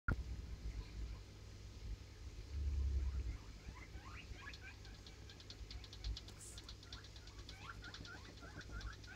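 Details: Djungarian hamster giving a rapid run of short, high, upward-flicking squeaks, several per second and uneven in spacing, over a steady low hum and faint rustling.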